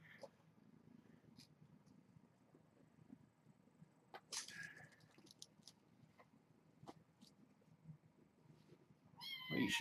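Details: Kittens named Janine, Ray and Egon at evening play time on 4-25, wrestling and batting at a toy bowl. Two short harmonic meows sound, one near the middle and a louder one at the end, over quiet room noise, thumps and clatter.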